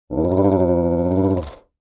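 A Doberman gives a deep, steady growl lasting just over a second.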